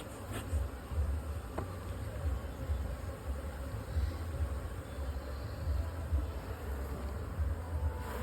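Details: Honey bees at a two-storey beekeeping box in a honey-producing apiary, a dense low droning hum filling the whole clip, steady with slight swells in loudness.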